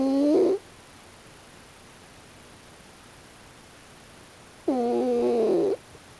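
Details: Sleeping raccoon dog Pochi snores. A short nasal, harmonic whistle is followed by about four seconds of quiet, then a longer, wavering tonal snore of roughly a second. The rhythm follows slow breathing, and there is no other sound.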